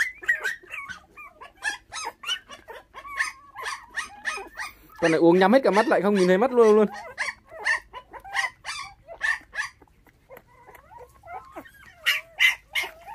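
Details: Bottle-fed puppies, five littermates left motherless at six days old after thieves took the mother dog, keep up rapid, high squeaking whimpers; a human voice talks loudly for about two seconds midway while the squeaks continue around it.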